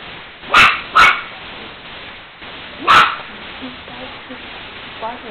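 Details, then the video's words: A pet dog barking at a cat while the cat eats: two quick sharp barks close together, a pause, one more bark near the third second, with faint softer sounds and household background in between. "Dog barking at cat"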